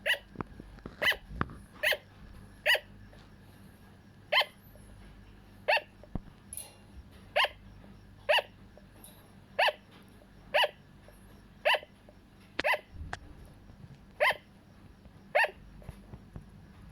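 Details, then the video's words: A sugar glider, one of a pair, gives short, sharp yapping barks, repeated about once a second. "Sugar Glider - Hero & Heera makes sound"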